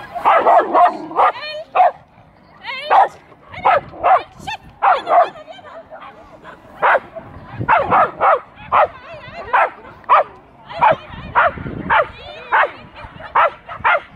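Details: Schapendoes Aira competing at an agility trial in Arendal, April 2015, where she took 2nd place in A1; short sharp barks burst out again and again in uneven runs across fourteen seconds, some in quick doubles, with faint background chatter.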